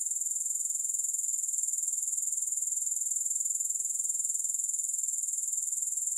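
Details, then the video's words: Grasshoppers without music: an unbroken, very high-pitched shimmering trill of rapid, even pulses throughout, steady in loudness with no other sounds. "Grass Hopper Sounds"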